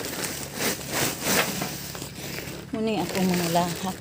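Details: Several domestic goats at their evening feeding, with rustling and crinkling of feed, then a short run of quavering, wavering bleats near the end.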